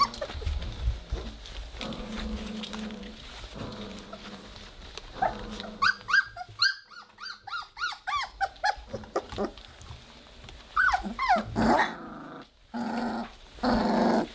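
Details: Three-week-old Weimaraner puppies playing together indoors and starting to growl: low rumbling growls early on, then a run of short whiny yelps and squeaks, ending in louder growly bursts, with rustling and clicks throughout.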